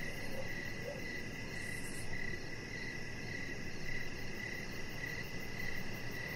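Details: Crickets chirping outside in the evening beside a deck with decoration lights, where a chihuahua puppy named Rocket lies. Even, pitched chirps repeat about every half second over a steady low hiss, with a faint rapid ticking pulse high above.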